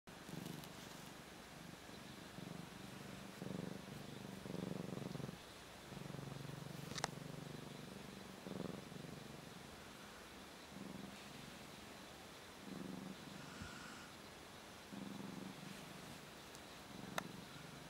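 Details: Two pet cats at sleeping time: a soft, low rumbling purr that swells and fades in breath-like bursts over a quiet room hiss, with a couple of brief clicks.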